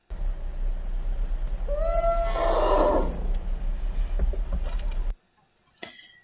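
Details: A young African elephant (Loxodonta africana) gives a mixed roar: a rising tonal cry that breaks into a harsh, noisy roar.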